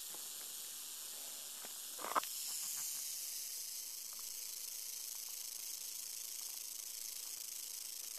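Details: Western diamondback rattlesnake yearling in captivity sounding its rattle. A high, dry buzz carries on constantly. A sharp knock comes about two seconds in, after which the buzz grows slightly louder.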